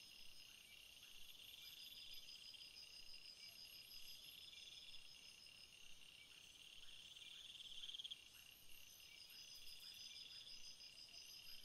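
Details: Night-time insect chorus of crickets, a continuous shrill layered ringing, with scattered pulsed trills and faint repeated ticks beneath the constant high drone.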